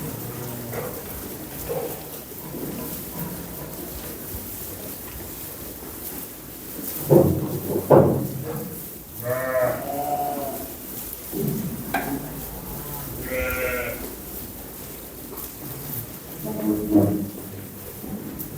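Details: Lambs giving several scattered bleats over about eighteen seconds, some short and some drawn out and wavering, amid background rustling and knocking noises.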